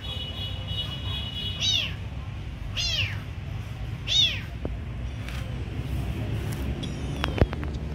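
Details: A kitten meows as food is given: three clear high arching mews spaced about a second apart, followed by clicks and clattering handling noises over a low hum.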